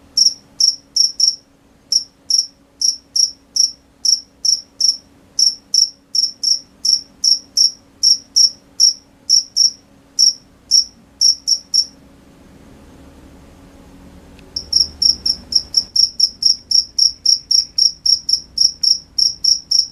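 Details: High, clipped cricket chirps at night, repeated about twice a second, falling silent for a couple of seconds, then returning in a faster, denser series; faint low rumble during the quiet stretch.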